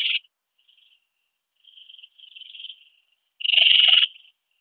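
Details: Ringed bush-cricket at Biedermannsdorf, Austria, 8 August 2022, heard through a Pettersson D 100 ultrasound detector. A short, strong tonal burst opens. Two faint, wavering bursts follow, then a loud, rougher burst of nearly a second.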